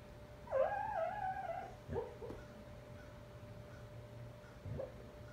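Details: Husky named Bandit, a foster dog, talking in his sleep while dreaming; a drawn-out wavering whine near one second long, then two short muffled yips or huffs, over a quiet indoor hum.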